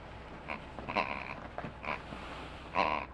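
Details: Playful 45-day-old White Swiss Shepherd puppies in a puppy playground, recorded 04/08/2015; four short, squeaky yelping bursts with a nasal, grunting edge arrive about every half second to second, over low background hiss.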